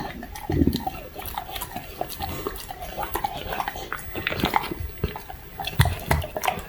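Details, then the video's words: Crunchy eating by Ato, a young Labrador Retriever working through duck wings: sharp crackles and bone snaps come in uneven clusters, with low thudding mouth sounds between bites. "오리 날개 먹는 강아지ASMR(Puppy eating duck wings)"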